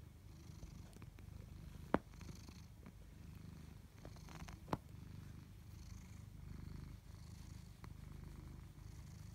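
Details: Tabby cats Chloe and Koda, domestic pets indoors, purring steadily: a low, continuous rumbling throb with a few faint clicks and soft taps over it in a quiet room.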